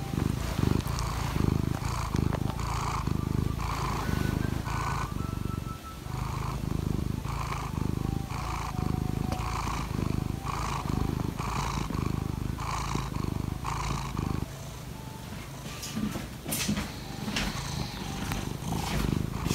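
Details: Morning purring from Laimi the cat, who wants petting. Continuous deep vibrating rumble rises and falls with each breath, roughly every second, with soft tonal background sounds and a few brief clicks near the end.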